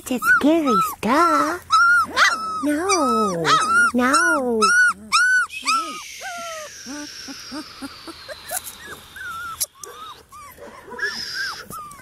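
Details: Kasha, a female Portuguese Water Dog x Standard Poodle puppy, whines in loud, arched, tonal cries repeated roughly twice a second for five seconds, then fainter whimpers under a steady hiss, with clicks and thumps.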